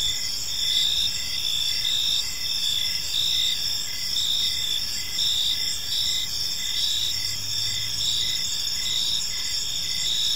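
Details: Crickets chirping in a park on an evening: dense, steady high-pitched trilling layered in several bands, with brief pulses repeating every second or so over a constant shimmering chorus.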